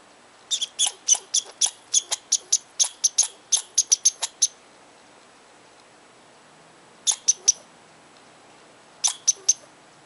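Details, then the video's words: A squirrel in Tahosa Valley vents disapproval at someone too near its tree: a long rapid string of piercing, high chips, then silence, followed by two short bursts of three quick chips each. "Angry Squirrel of Tahosa Valley"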